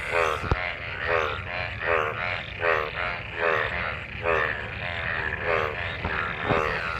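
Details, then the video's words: Post-monsoon frogs gathered in rain-filled water call while mating: harmonic, drawn-out croaks sweeping upward, about every second, with occasional sharp taps. "Frog mating,Frog Sounds after monsoon rain,Sounds of toad Croak croak ! frog mating and love in rain"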